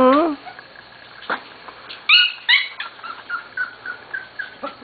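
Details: A Corgi puppy almost seven weeks old, from Katie's or Venus's litter, opens with a rising whine. Two sharp yelps and a run of soft squeaks follow, roughly every third of a second, alongside a human voice.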